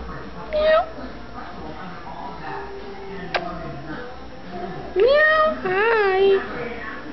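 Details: Newborn grey kitten from a stray cat's April litter of five meows repeatedly: a short cry, then after a pause two louder rising and wavering meows in quick succession, with a sharp click and quiet room noise.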